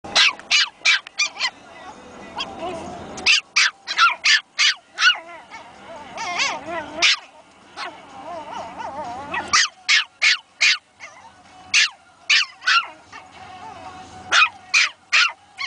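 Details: Two Pomeranian puppies, Princess and Bastian, newly found voices barking at each other: bursts of high, sharp yaps in quick runs, separated by softer whiny squeals, with a person laughing and talking in the background.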